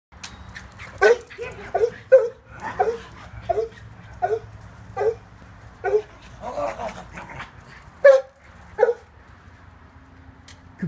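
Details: Cooper, a West Highland White Terrier, zooming around the yard at play, yaps in a run of about a dozen short, sharp barks, one every three-quarters of a second, over low background noise.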